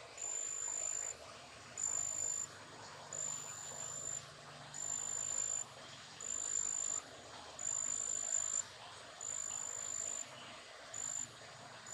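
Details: Big brown katydid, described as a garden pest, giving high, buzzy, shrill chirps in bursts of under a second, repeated roughly every one and a half seconds in a steady rhythm over a faint background hiss.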